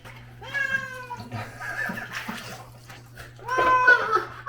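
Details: Pharmacy cat in Hongdae, Seoul, meowing while being bathed: two drawn-out, complaining meows, one near the start and a louder one near the end, with a person talking softly in between in a small room.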